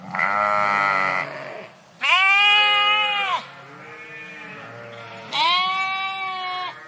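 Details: Sheep flock in a park: loud drawn-out bleats of about a second each, one high-pitched and quavering, others deeper, with softer lower bleats from other animals in between.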